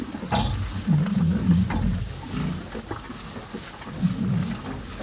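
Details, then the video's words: Two cows eating hay on a farm: low, rough crunching and grinding in quick, fairly steady bursts, with soft snuffling breaths and occasional sharper rustles of hay. "TWO CUTE COW EAT HAY!"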